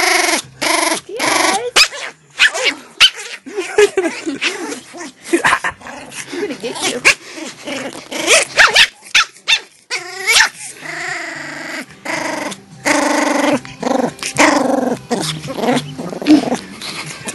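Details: Pomeranian puppy in its "evil" Gizmo mode, a long run of close, loud grumbling growls, wavering whines and sharp yips, uneven in rhythm, with brief clicks and handling noise.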